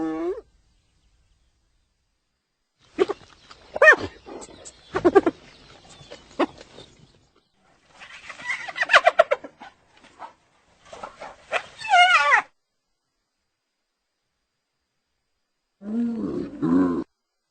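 A hyena gives bursts of its laughing call: rapid, pitched, stuttering giggles separated by silences.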